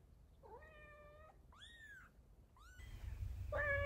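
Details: Domestic cat, a mother carrying her kittens one by one in her mouth; four short tonal meows, the first rising then level, the second high and arched, the last louder over a growing low rumble.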